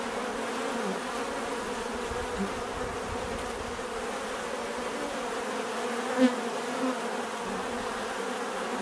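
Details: Bees humming in a smooth, unbroken low drone, with one sharp click or tap just after six seconds and a softer bump shortly after.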